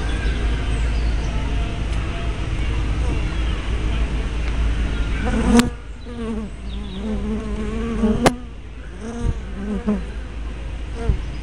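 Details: Honey bee traffic at a hive entrance, 24 May 2012, spy cam with fisheye lens: a thick low hum that thins after a sharp click, leaving clearer individual buzzes from bees flying by, with another click later.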